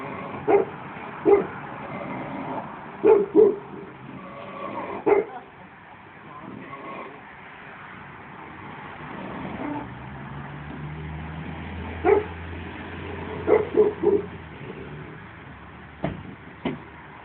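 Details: Sally, a 15-year-old Shar Pei, barking in scattered bursts of one to three short barks, with pauses of several seconds between them, over a steady low hum and a passing vehicle rumble midway.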